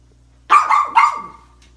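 A pug gives two quick, sharp barks, the second trailing off into a rough, fading edge.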